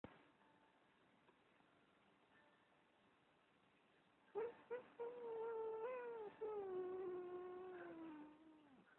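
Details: Domestic cat giving a weird mew, recorded with poor sound quality: after four seconds of quiet hiss, short sharp yelps lead into a long, drawn-out, slowly falling wavering tone lasting about four seconds.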